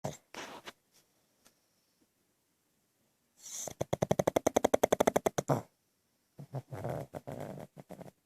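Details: A sleeping pug snoring indoors: a short breathy snort, a quiet pause, then a loud fluttering rattle lasting about two seconds, followed by softer, broken wheezing snorts.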